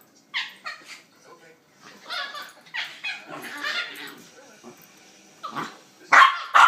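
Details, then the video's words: A pair of pups wrestling in play, producing quieter, scattered whines, yelps and chattering squeals with gaps between, ending in two sharp, loud yips. "Pups play fighting sound like monkeys!"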